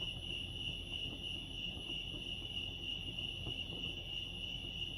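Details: Lake Arrowhead crickets in California: one sustained shrill pulsing note runs unchanged for the whole stretch, backed by quiet low-frequency rumble.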